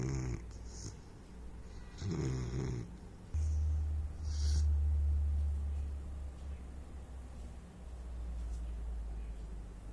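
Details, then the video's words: Saint Bernard puppy asleep, snoring indoors: deep low rumbling breaths in long drawn-out swells, one lasting about three seconds, with soft breathy hisses between them. "THE SNORING SAINT BERNARD PUPPY"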